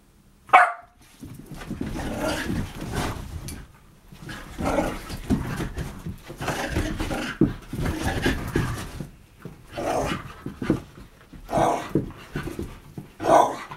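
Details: Three pet Whippets, Bug, Radish and Cheeky, playing wildly together: broadband bursts of panting and scuffling with a few sharp yelps and short growls, uneven rhythm with brief pauses between rough bouts.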